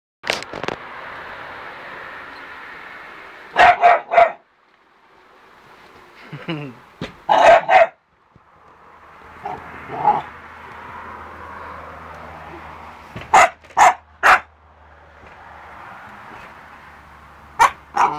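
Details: Pit bull, a mix of English bulldog and English Staffordshire terrier weighing 40-50 pounds, giving sharp loud barks in short bursts of two or three, separated by quieter stretches of background hiss and rustling.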